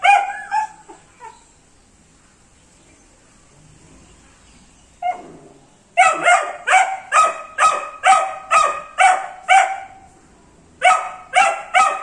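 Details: A 78-day-old Dobermann Pinscher puppy barking: a few high yapping barks at the start, a quiet gap, then a rapid run of about ten sharp, bright barks roughly twice a second, a short pause and three more.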